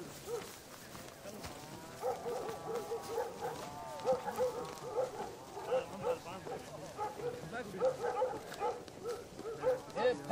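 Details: Hunting dogs during a wild boar hunt, barking and yelping in rapid, irregular bursts of short, mid-pitched, harmonic barks for about ten seconds, with men talking in Punjabi and rustling in the background.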